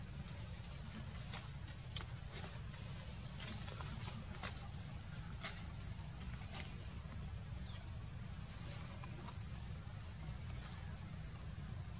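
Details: Steady low rumble and hiss with scattered faint clicks and taps; no clear animal voice.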